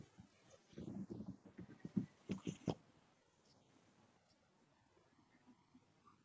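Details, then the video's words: Snoring cat asleep indoors: a tight run of low, rough, fluttering breath pulses over about two seconds, ending in a few stronger rasps, then near silence. "My Snoring Cat"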